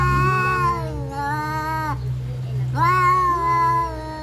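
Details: Fighting domestic cats yowl in two long, sliding wails separated by a brief gap, the second rising sharply at its start, over a steady low hum.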